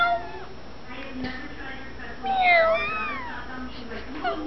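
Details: Grey kitten, born in April as one of five to a stray mother, makes one strong wavering meow midway, with faint softer calls and small clicks around it indoors.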